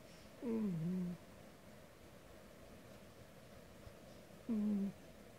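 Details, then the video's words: DonDon, a domestic cat, snores loudly while asleep; two drawn-out whistly snores, the first sliding downward and lasting under a second, the second shorter, separated by about three seconds of quiet room tone. "cat(named DonDon) snore too loudly"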